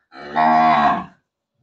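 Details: A big cow in a village gives a single loud moo lasting about a second, a rich harmonic tone holding steady before fading, with silence around it.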